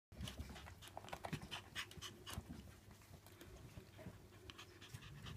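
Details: Shiba Inu puppies born 8 May 2016, gathered together at a breeding kennel, pant and snuffle busily, giving a continuous rough breathy texture with small soft squeaks scattered through.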